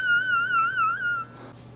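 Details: Boxer puppy, newborn and breastfeeding from its mom, gives a high, wobbling whine lasting over a second, pitch rising and falling in gentle waves before fading into quiet rustling.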